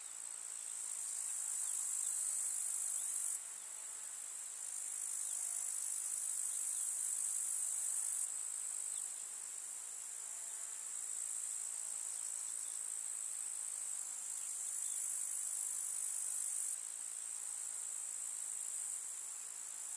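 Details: Chorus of grasshoppers in a rural summer meadow with wildflowers: a steady, high, hissing stridulation that swells and softens in blocks every few seconds, as if individual insects start and stop.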